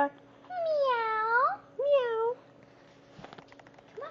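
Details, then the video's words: Female Labradoodle indoors, being taught with treats to make a small meow-like voice instead of barking: two drawn-out, whiny, cat-like calls, the first about a second long and rising at its end, the second shorter, then faint speech and thumps. "Labradoodle learns to meow"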